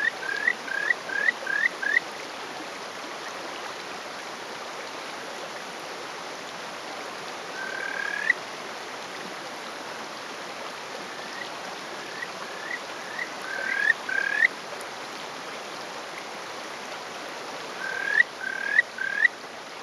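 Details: Male Kajika frog calling from atop a rock in rural Hofu, Yamaguchi Prefecture, Japan, on the morning of 20 May 2018. Rapid bursts of four or five short rising whistled notes recur several times over steady stream rush.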